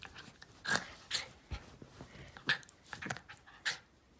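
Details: Steve, a Jack Russell crossed with a Fox Terrier, mock-attacking a hand indoors; breathy snarling bursts about every half second to second, some with a faint tonal edge, over quiet room background.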